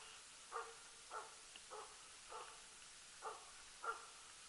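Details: Far-off barking from the elk-hunting Jämthund Rapp, season 2012: six single barks spaced about half a second to a second apart, evenly loud, over a soft steady hiss.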